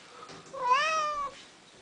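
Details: Pet cat Tonie, demanding food after the food runs out, lets out one drawn-out harmonic meow that rises then falls over about three quarters of a second, in a quiet indoor room.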